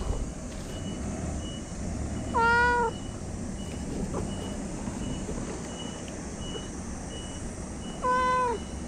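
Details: A chatty stray cat gives two clear, rising-then-falling meows about six seconds apart, while a vehicle's reversing beeper sounds a steady repeated tone and low outdoor rumble fills the background.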